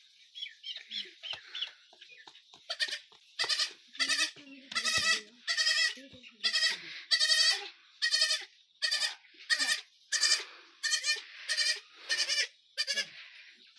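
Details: Goat kid bleating repeatedly, a series of high, harmonically rich, quavering bleats about once per second, growing louder and more regular after a quieter start, with a child nearby at play.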